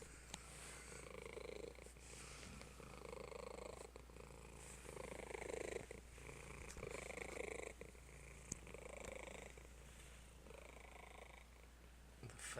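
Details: A fat house cat purring loudly, described as purring like a mad beast: a rough, rumbling, pulsing purr in breaths of one to two seconds, with a steady low hum and faint room noise.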